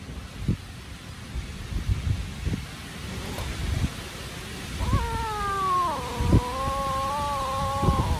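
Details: Hungry kittens crying loudly and chasing each other while eating: scattered soft thumps and rustles, then a long, drawn-out wavering meow that dips and levels off over the last three seconds.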